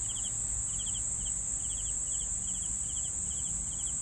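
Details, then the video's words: Brief stretch of cricket chirping, short pulsed bursts at irregular spacing, softer than the constant high insect trill running throughout, with low background noise. "CRICKETS SOUNDS for SLEEPING"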